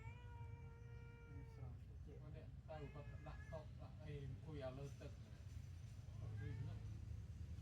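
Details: Newborn baby kittens sleeping together after a milk feed; one steady, high, drawn-out meow lasts about a second and a half, then people talk over a low background hum.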